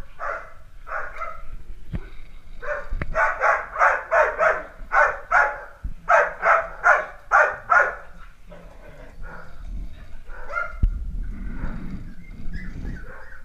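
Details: Dalmatian puppies at play, giving rapid runs of high, sharp yapping barks, about three per second in two bursts, then quieter scattered yips with rustling and handling noise in between.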